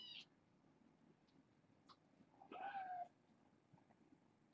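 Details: Young foster kittens at bedtime, part of a litter of four females and two males: one clear drawn-out meow falling slightly in pitch, preceded by a brief squeak, over low room hum.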